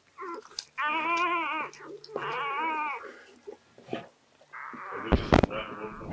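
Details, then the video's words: Freshly born Labrador Retriever pup from Sofia's litter gives two long, sustained, quavering cries of about a second each, then a rougher squeal. Sharp handling knocks and a soft Dutch voice accompany the calls. "Geboorte labrador pup"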